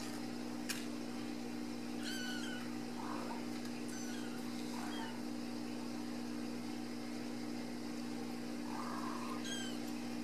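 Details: Ragdoll kittens at a home cattery in central Kansas, raised in the house without cages, give several thin, high, short meows spaced a second or two apart over a steady low electrical hum in a quiet room.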